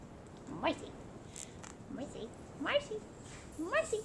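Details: Old English Sheepdog puppies playing indoors at a breeder in Flower Mound, Texas: three short rising, squeaky yelps spread over four seconds while a woman talks to a puppy named Marcy.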